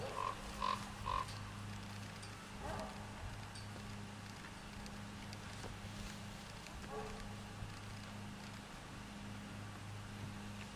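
An alpaca gives three quick, shrill, clipped alarm calls in a row, warning of a nearby threat.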